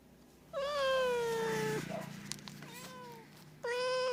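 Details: Domestic cat meowing, played to attract other cats: a long drawn-out meow falling slightly in pitch, a fainter second meow, then a third loud meow starting at the end.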